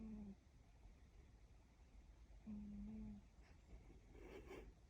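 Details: Siberian cat snoring indoors: two low, humming snores, one at the very start and a longer steady drone near the middle, with a soft rustle toward the end in a quiet room.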